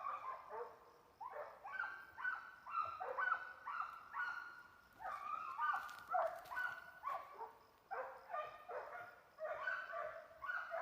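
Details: Hunting hounds bay in a steady, overlapping chorus of ringing barks, roughly two per second, while running down agoutis (guatusas).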